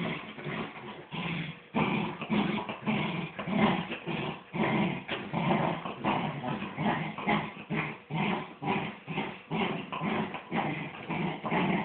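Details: Two miniature wirehaired dachshunds, a mother and her son, growling steadily while playing tug of war; low rumbling growls come in rapid, uneven pulses, about two per second, continuous throughout with brief pauses.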